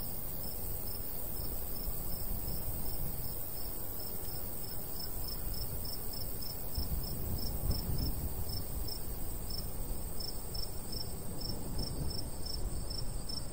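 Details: Crickets calling in the summertime countryside by a wheat field, light breeze blowing: evenly spaced high chirps about every half second beside a steady higher buzz, with gusty wind rumble below.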